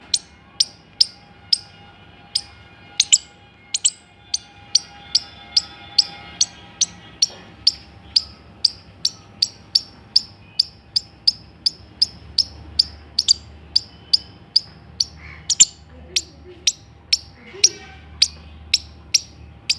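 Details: Squirrel calling with a long, steady run of crisp, high chips, roughly two or three each second, every note sharp and brief with a slight downward flick, against a quiet background.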